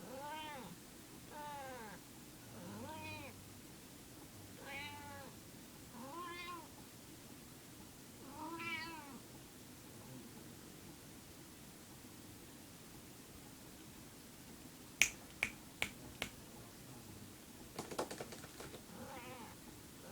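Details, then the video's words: Female domestic cat, possibly in heat, indoors, giving a series of drawn-out, wavering meows that rise and fall, about six in the first ten seconds, then quieter with several sharp clicks or knocks near the end. "Weird noise cat"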